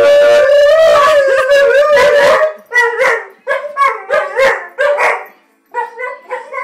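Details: A seven-month-old Alaskan Malamute and an eight-year-old Husky, Chow, Wolf and Shepherd mix howl together, a long steady wail breaking into rising and falling yodeling woos as they talk back and forth.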